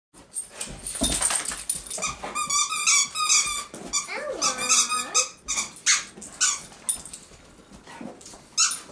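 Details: Ella the Basenji playing tug of war with a mixed-breed dog named Maddie and a child: high, squeaky, yodel-like whines and short yelps in irregular bursts with wavering, rising and falling pitch, amid scuffling play noise.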